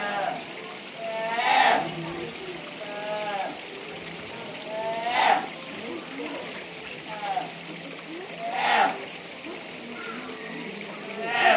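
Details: Brown bear cub at Noboribetsu Bear Park giving loud, wavering harmonic cries roughly every three to four seconds, with softer bending harmonic calls between them over a steady trickle of water in the background.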